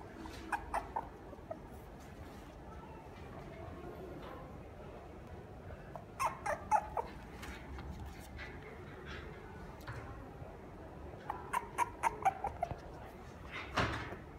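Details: Toy poodle indoors in a pet shop in Japan, giving short high yelps and whimpers in clusters, with several quick bursts around the middle and again near the end, over soft room noise.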